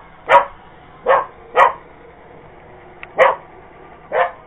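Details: Purebred Cocker Spaniel chasing an iRobot Roomba, giving five loud, harsh barks spaced roughly one second apart, with faint clicks and a quiet background drone between them.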